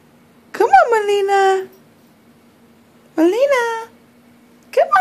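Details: Female puppy named Molina cries for help climbing the stairs indoors. Three separate cries rise sharply and then hold a long, level wail, with gaps of quiet between them. Someone keeps coaxing her up.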